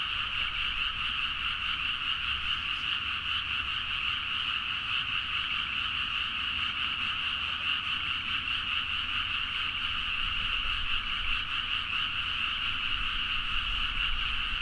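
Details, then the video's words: A large frog chorus recorded at midnight in rice paddies around Nagaoka, Niigata, Japan, on a Zoom H4n; overlapping croaking voices sustain a constant, rhythmic, rattling trill for the whole stretch, with only a low distant hum behind. "The frog sound at mid night (環境,自然音 -深夜のカエル大合唱-)"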